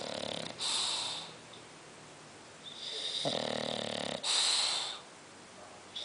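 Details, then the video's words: A sleeping bulldog named Tota snores indoors: harsh, breathy hissing rasps come in bursts about every one and a half seconds, with quiet pauses between breaths. "tota (bulldog roncando)"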